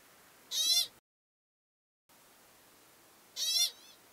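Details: American pika in the lava fields of Craters of the Moon National Monument; two short, high, squeaky calls with stacked harmonics, each under half a second and about three seconds apart, over a quiet background.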